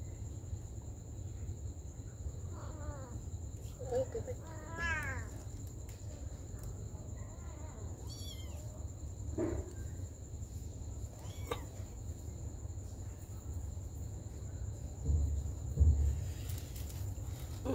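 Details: Mother cat caring for her baby kittens, with several short harmonic meows scattered through the recording, rising and falling, over a steady low hum and a constant high electrical whine; brief speech at the start.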